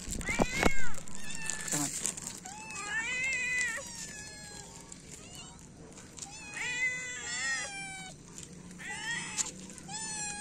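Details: Morning feeding of feral cats, three adults and one kitten; a rapid overlapping chorus of short and drawn-out meows from several cats, with clatter at the start and steady hiss behind.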